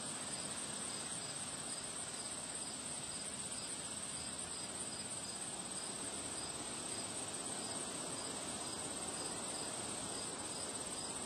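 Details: On a windy day among flowers, crickets give high chirps in a steady, evenly spaced pulse train. The chirps stay partly masked by a broad, constant wash of wind noise.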